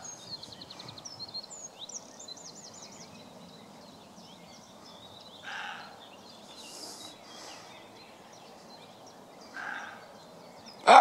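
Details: Barking roe deer buck answering a human imitation of its call: two fairly soft, rasping barks several seconds apart, then a sudden much louder harsh bark at the end, with small birds twittering and trilling throughout.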